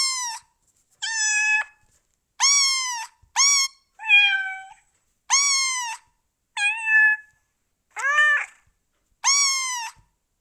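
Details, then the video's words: Cats and kittens meowing: nine clear harmonic meows, each about half a second, some rising then falling, spaced unevenly roughly one to two seconds apart, with silence between calls. "Meows and Cat Sound Effect HD"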